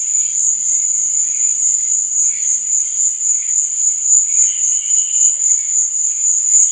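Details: Night-time cricket chorus: an unbroken high-pitched ringing trill pulsing roughly four times per second, softer scattered chirps lower down, and a faint low hum early on.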